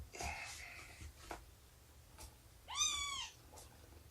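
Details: Cats at nursing and play time: Shelby, a rescued mother of about two years, with her roughly three-month-old kittens. After light scuffling and a faint murmur, a single clear meow swells, arches upward and fades within half a second.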